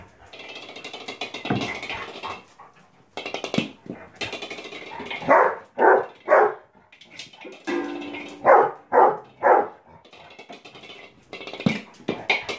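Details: Bob, a Labrador Retriever, during his usual morning game of football, gives loud harsh barks in quick runs of two and three, spaced a few seconds apart, over background music with clattering knocks between.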